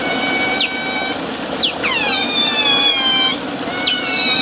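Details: Captive Eurasian otters in a group at Zoo Basel produce shrill drawn-out whistling squeals broken by abrupt descending chirps, steady background hum throughout.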